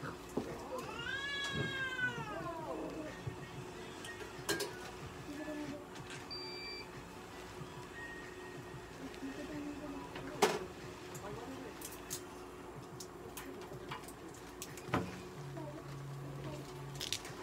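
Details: An American Shorthair cat meowing at a veterinary clinic while undergoing an ECG test: one long arched, harmonic meow near the start, then quieter clinic sounds, clicks and a brief beep.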